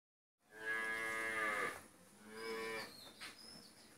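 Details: Friesian cow on a dairy farm in Pabna, Bangladesh, four teeth old, in her first calving and kept with her heifer calf, gives a loud harmonic moo lasting over a second, then a softer, lower second moo that trails off.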